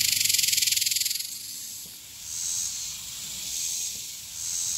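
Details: A single male superb dog-day cicada in Texas, singing in summer and filmed close up as the loudest that day, gives a loud, rattling, high buzz that fades into softer pulsing buzzes.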